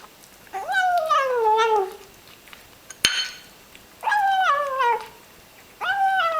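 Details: Small ginger kitten vocalizing while eating a meal it clearly enjoys: three drawn-out, tonal, whiny cries, each about a second long and sliding downward in pitch, with a sharp click like a dish knock between the first and second cries.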